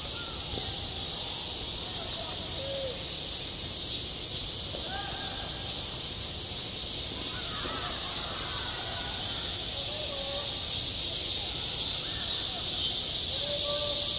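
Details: Cicadas buzzing over a summer school playground, a sustained shrill drone with a gentle rhythmic throb, plus distant voices and a crow-like caw in the background.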